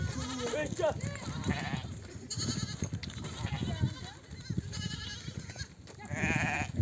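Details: Ewes of a nomadic desert flock back from pasture, calling lambs to suckle; quavering bleats near the start and again at the end, between stretches of low shuffling noise and people talking.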